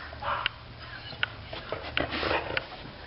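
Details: Bailey Blue, a female pet dog indoors, excited about another dog outside, gives a run of short, high whining yelps and whimpers, about five bursts spread over three seconds, in a quiet room.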